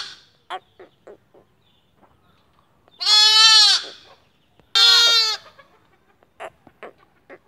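Lambs give two loud, wavering bleats, each lasting about a second, with soft clicks and shuffles between.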